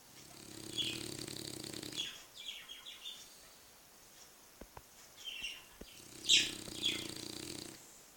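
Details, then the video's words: Bulldog asleep on its back, recorded 6 November 2013, snoring: two long, rough, low drawn-out breaths about five seconds apart, with soft breathing between, while small birds chirp and twitter brightly throughout. "Bulldog roncando patas arriba"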